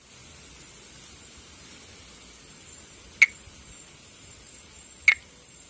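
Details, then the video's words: Pithecopus nordestinus, a monkey tree frog endemic to Brazil's northeast, calling and in amplexus. Two crisp clicking notes sound about two seconds apart against a steady hiss and a faint high insect tone. "Vocalização e amplexo de Pithecopus nordestinus"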